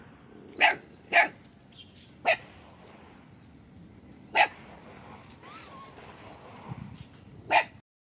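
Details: Dog barking when the gang meets new puppies: five sharp, isolated barks spaced irregularly one to two seconds apart over a quiet background with faint distant sounds.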